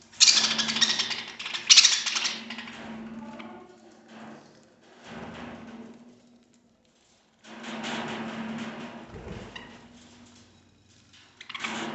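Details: Knocks and broadband rustling come in bursts over a steady low hum. No clear animal voice stands out.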